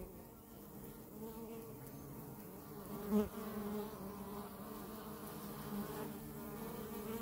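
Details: Close-up honey bees giving a continuous low buzzing drone, with a sudden brief louder burst about three seconds in as a bee flies close, then an even humming.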